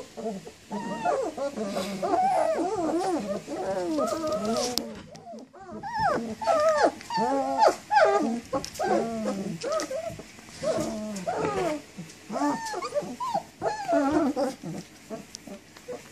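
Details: Group of puppies squealing and whining almost continuously, with many overlapping arched cries and a brief lull near the five-second mark before the chorus resumes.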